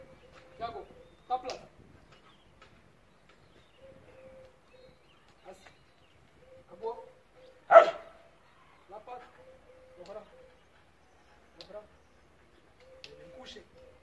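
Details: Trained Siberian Husky in a training demonstration, a single strong bark standing out mid-sequence among short yips and a recurring thin whine, as a handler repeats spoken French commands to walk and lie down.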